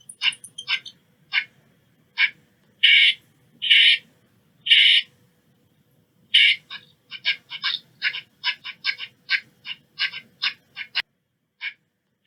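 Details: Eastern squirrel calling in a broken series of harsh, raspy chirps, several longer and louder notes early, then quicker clipped notes in an uneven rapid run before a short pause and a final few.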